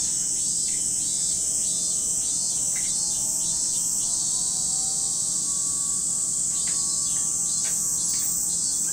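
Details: Steady, piercing insect drone of cicadas at Lake Kamo, Sado City, Niigata, Japan, with intermittent scratchy pulses and a faint, slowly rising layered hum in the background during the first half.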